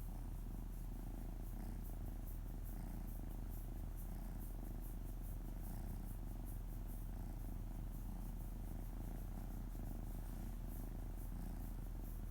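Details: Domestic cat on a lap having its belly softly rubbed, giving a low, unbroken purr with regular pulses roughly twice a second throughout.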